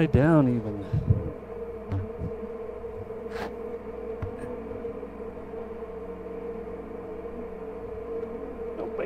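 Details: Honey bee hive opened for inspection, queen seen with brood of all stages; a close bee buzzes past at the start, then a constant mid-pitched hum continues with occasional soft knocks.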